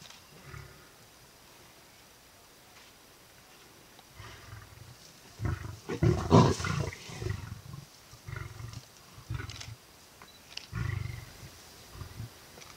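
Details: Big male lion feeding on a buffalo kill, keeping lionesses away with warning growls; deep, rasping growls swell in bursts around the middle, with shorter throaty rumbles following at intervals and a quiet background.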